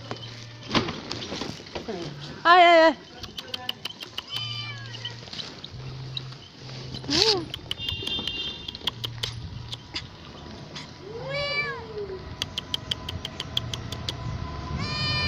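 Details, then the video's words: Domestic cat meowing: a loud, clear, arched, harmonic meow near the start, followed later by a softer, drawn-out one. Human voices and clicking or handling noises are heard throughout, over low background hum. "CAT MEOW..."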